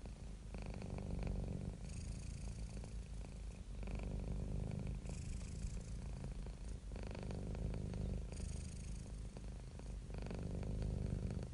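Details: Relaxed, happy house cat producing a low throbbing purr, its loudness pulsing in long alternating in-and-out phases about every one and a half to three seconds, with soft breathy hiss over the rumble.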